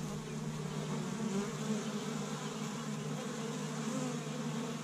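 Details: Spring honey bee colony, an established hive active on Michigan's first warm day as bees forage pollen from tree buds; thick, even buzzing swarm sound with individual bees flickering past.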